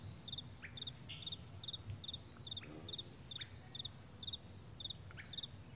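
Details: Crickets on a broad meadow at morning, chirping in crisp double pulses repeated about every half second, with a few faint upward bird notes and soft low rumble beneath.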